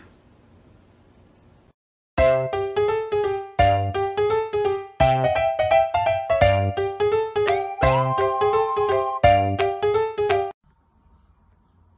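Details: A bright, bouncy children's tune of plucked and chiming notes plays in bursts, with no animal voice.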